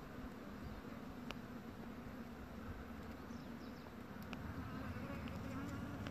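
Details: Bombus vosnesenskii bumblebee queen chewing on wood: a steady, low droning buzz runs unbroken through the whole recording, growing slightly louder toward the end, with a few faint sharp clicks.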